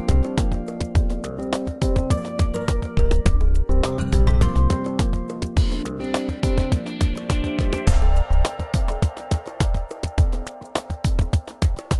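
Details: Only rhythmic instrumental music with plucked notes and a steady beat is heard, with no animal sounds.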